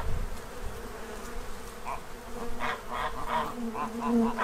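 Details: Bees feeding from a tray to prepare for winter in Central Illinois; a steady low buzzing hum runs throughout, overlaid by repeated honking from farm geese and ducks nearby in the second half.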